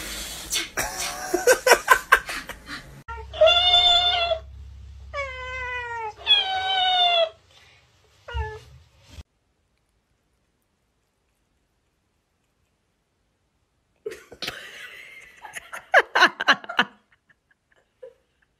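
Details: Cat meowing: three long, drawn-out, harmonic meows with falling ends, a short yelp, then silence and human laughter and speech near the end.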